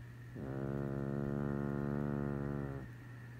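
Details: Chihuahua snoring: one sustained, buzzy, nasal drone lasting over two seconds, steady in pitch with a rapid fluttering texture, set against a low constant hum.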